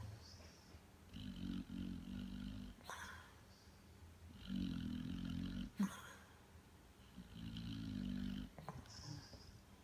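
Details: Sleeping American Pit Bull Terrier gives slow, rough snores, four drawn-out rattling breaths over ten seconds, each about a second long, with a thin whistling overtone and soft clicks between.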